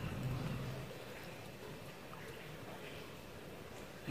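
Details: Quiet outdoor background noise with a faint murmur of speech and a short thump at the end, and no animal calls.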